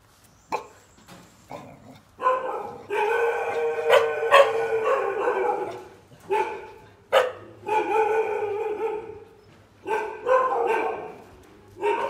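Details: A dog limping on a broken leg cries out in drawn-out, tonal whines and sharp yelps, some lasting over a second, broken by short quiet gaps throughout.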